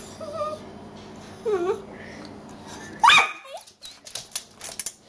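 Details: Ten-month-old female puppy barking indoors, annoyed that her food was left on the counter; faint whining yips early on, then one sharp loud bark followed by scattered softer clicks and thumps in a quiet room.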